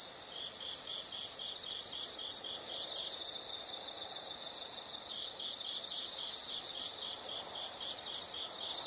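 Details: Nature sound of insects for study or sleep: a piercing high trill for two seconds, then softer rapid pulsing chirps, before the sustained trill resumes for two more seconds.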